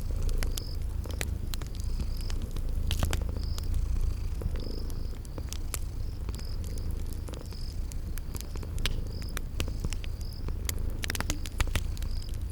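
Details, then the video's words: Cozy fireside purr of sleeping kittens in a spring garden ambience. The low drone stays constant, gently rising and falling with breaths, while fire snaps and crackles and a high chirping insect repeats steadily. "Relax with Cute Sleeping Purring Kitties by a Crackling Fireplace"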